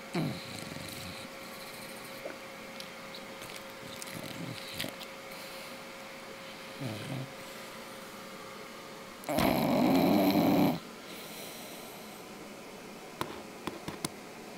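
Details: Sleeping English bulldog giving one long, loud, rasping snore lasting over a second, with faint snuffles and quiet breathing before it and a few soft clicks afterward.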